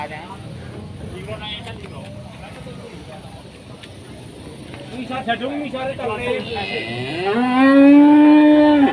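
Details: Huge enraged Pegon bull that nobody dares to go near: after several seconds of people talking, a loud rising moo swells and holds strongly for about two seconds, harmonic and sustained, ending abruptly.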